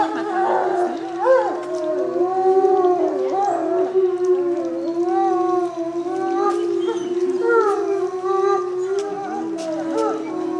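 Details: Captive timber wolf pack in a coordinated group howl led by the lead wolf; one steady sustained howl holds beneath other voices that slide, waver and break into higher squeaky notes.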